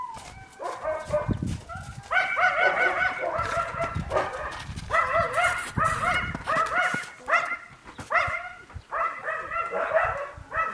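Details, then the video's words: Yakutian Laika puppies calling in a steady run of harmonic whimpers and yips, each note bending down, repeated about every half second, against low rustling and handling noise. "Щенки якутской лайки"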